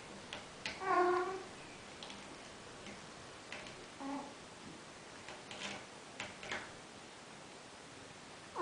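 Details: Bengal kittens, four weeks and two days old, playing together. A short, high mew comes near the start and a fainter one around four seconds, with scattered soft clicks and tapping from play in a quiet room.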